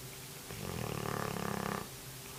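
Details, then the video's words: Sleeping Cane Corso snoring, a single rough, rattling breath lasting just over a second, with a dense pulsed texture and a low steady hum underneath. "Corso Snore"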